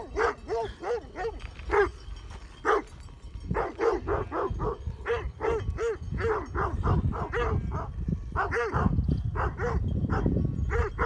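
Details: Several Great Pyrenees sheep dogs guarding a flock near Heber, Utah, bark at mountain bikers: deep, repeated barks in irregular bursts, sometimes overlapping, with a brief pause mid-way and rising low-frequency rumble toward the end.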